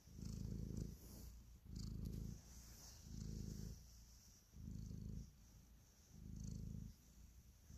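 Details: Close, steady purring from a pet cat kneading and showing love: low throbbing rumble in regular breath-length waves, about six over several seconds, with faint soft brushing noises in the background.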